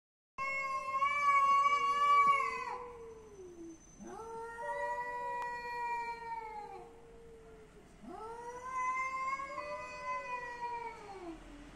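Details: Cat meowing three times in a row, each a long, drawn-out, wavering meow lasting two to three seconds with rich harmonics, the first loudest and the later two slightly softer and falling at the end.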